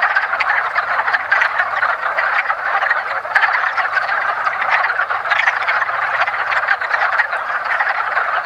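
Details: In a woodland pond at the start of spring, wood frogs in their mating ritual keep up a dense, rattling chorus of short croaks, with distinct clucks standing out every second or so.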